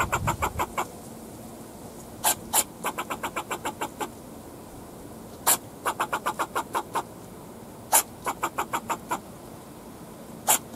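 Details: In a backyard, a fox squirrel barks at the person filming in rapid bursts of sharp, dry chucks, each run repeated every few seconds.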